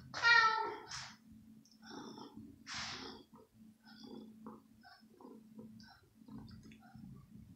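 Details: Female kitten at home at night, very hungry and jumping for chicken pieces; a clear meow with rich harmonics begins, a breathy burst follows near three seconds, then quiet rustling and low hum.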